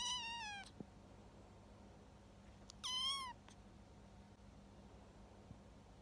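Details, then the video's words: A young male kitten, rescued after being found abandoned at the end of September, cries for food: two drawn-out, falling meows with rich overtones, about two seconds apart, then quiet room tone. "Making funny sound when he is hungry 独特な鳴き声でごはんを欲しがる子猫"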